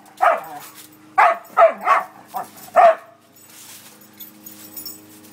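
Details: Barks from a dog at play: a handful of short, clipped yaps packed into about two seconds, then near silence with faint background rustle.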